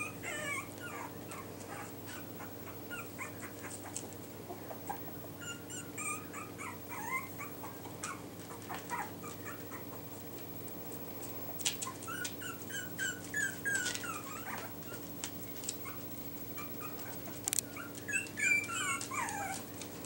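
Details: Yorkie puppies fitted with numbered Velcro collars, one nicknamed trouble maker blue boy, another called Hope, make scattered high squeaky whimpers in loose bursts with quieter gaps, over a constant low background hum.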